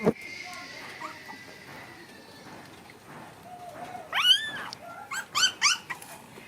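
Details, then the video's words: Puppies playing: after a quiet, thin high tone, loud arching yelps burst out in quick succession, each rising then falling, over a faint hiss. "Puppies start to play lots now"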